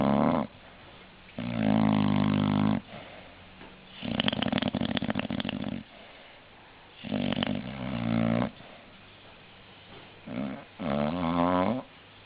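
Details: Snoring English Bulldog, a series of uneven snores over twelve seconds, some humming and tonal, others raspy and crackling on the exhale, with brief quiet gaps between breaths.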